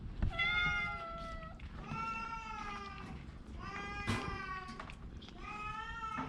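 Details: Orange cat ill with a cough and cold, mewing repeatedly: four clear harmonic meows, each lasting about a second, evenly spaced with short pauses, in a quiet indoor setting.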